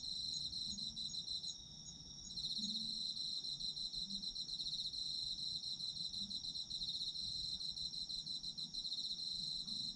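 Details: High shrill trilling of autumn insects as a sleep soundscape, briefly dipping near the two-second mark before resuming a steady fast pulsing chorus, with a faint low murmur in the background.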